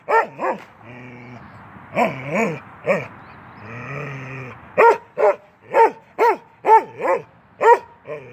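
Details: Keweenaw, a 10-month-old male Norwegian Elkhound, plays through a fence: low drawn-out growling rumbles early on, then a run of loud, evenly spaced sharp barks roughly every half second toward the end.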